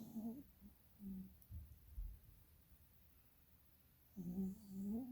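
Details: A tired puppy sleeps with its eyes rolling and snores in two loud bursts, at the start and near the end. Each breath is a low, throaty rasp with a voiced, whining edge, separated by a quiet pause with faint breathing.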